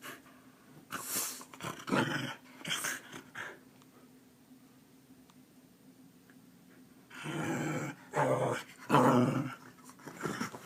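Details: Keeshond dog waking its owner each morning at the same time like an alarm clock, indoors; rough, growly grumbling bursts in two clusters, a few short throaty sounds early, then a longer run of louder rumbling moans near the end.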